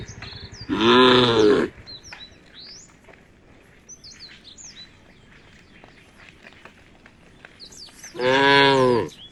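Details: Herd of tame cows moving toward a field by the forest; two strong, low, even moos about seven seconds apart, each near a second long, with busy bird chirping and twittering in between.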